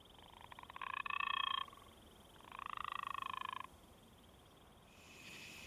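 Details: An endangered gopher frog at a Georgia breeding wetland gives two rattling, snore-like mating calls, each a rapid burst of pulses lasting about a second, said to sound like someone being rude at dinner.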